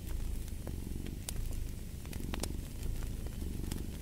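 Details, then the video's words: A cat purring in a low, steady rumble that swells with each breath, mixed with sharp crackles and pops from a fireplace. "Fall asleep to the Purring of a Cat"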